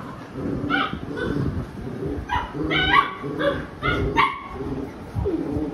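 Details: Labrador Retriever mother and her mischievous puppies in a scuffle: a run of short, high yapping barks comes roughly every half second, then a softer closing whine, with a low rumble beneath.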